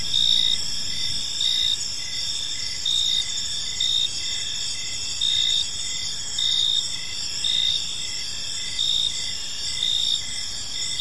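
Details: Evening park crickets: a shrill high trill runs throughout, with louder chirp bursts recurring about every second and a half, layered over faint low ambient rumble.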